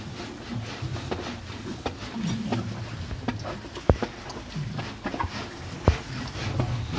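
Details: Two cows eating hay on a farm: soft irregular crunching and rustling with sharp dry clicks about every two seconds over a low steady rumble, plus a few louder snaps.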